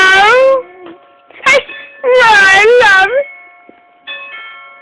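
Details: Pet dog howling at the doorbell, encouraged to make its howl sound like "I love you": two drawn-out, wavering harmonic howls with steady flat doorbell-like tones ringing between and after them.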